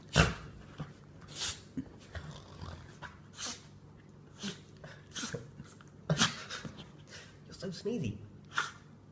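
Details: Spinning sneezing fit from a rescued dog who has cancer, indoors: short explosive snorting sneezes come in scattered bursts between softer snuffles and breathing, with a person's voice in the background.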